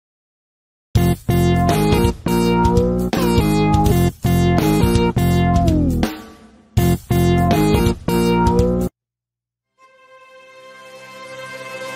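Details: Bright electronic keyboard music in short phrases, then a pause and a fading sustained chord, with no animal voices.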